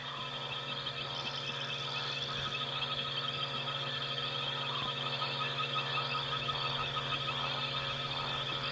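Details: On an African safari drive on the evening of 20 September 2016, a night chorus of many frogs and insects trills in a dense, steady wash of high calls.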